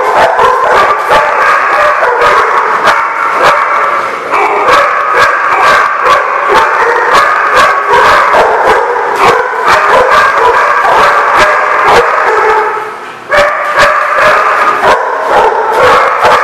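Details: Dogs recorded on May 20, 2016, barking in a dense, continuous chorus: sharp overlapping barks pile up several times per second with no pause, and the din dips briefly near the end before resuming.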